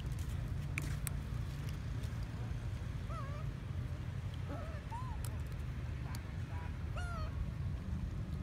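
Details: Baby monkey Sweatpea at Bayon Temple crying after his mother slapped him for trying to breastfeed; several short wavering squeals scattered through the clip over a constant low rumble and occasional clicks.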